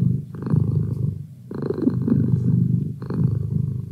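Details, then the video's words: Merlin, a pet cat, purring steadily indoors: a low rumbling drone with a louder, brighter phase at each breath, swelling about every one and a half seconds. "Cat Purr"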